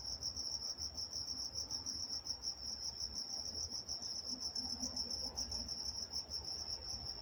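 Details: Night-time crickets in Walnut, California keep up a dense, shrill pulsing chorus that never pauses, with soft low background hum beneath the steady high trill.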